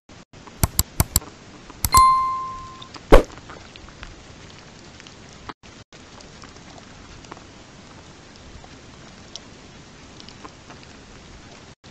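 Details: A few sharp clicks and a ringing metallic clink, then a low steady background hiss with no animal voice.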